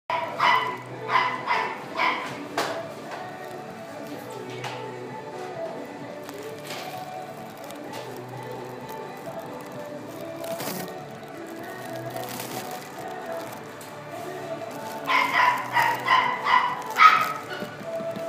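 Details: White female Maltese and Poodle mix born 7 August 2016, kept at a pet shop, barking in quick bursts of about four sharp yaps at the start and again near the end, with quieter music and background noise between.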